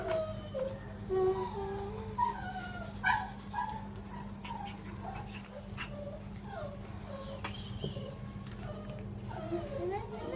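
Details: Whining Border Collie puppy aged 36 days, a run of high sliding whimpers and short yips, some rising then falling, repeated throughout over a constant low hum, with a person speaking now and then.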